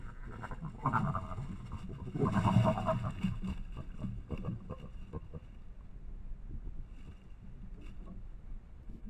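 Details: Wild collared peccaries squabbling with each other near Sinop, Mato Grosso, in the Brazilian Amazon, 2020: low, rough grunting and rumbling in bursts, strongest early on, then fading to steady murmuring grunts.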